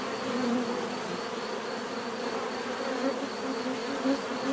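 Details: Bees buzzing in a steady, dense drone, many wingbeats blending into a continuous hum with a few louder passes rising and fading.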